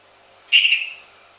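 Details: Captive hourglass tree frog kept as a pet, indoors, with a tokay gecko said to answer from another room: a single short, high, whistle-like note that fades away quickly, in a quiet room.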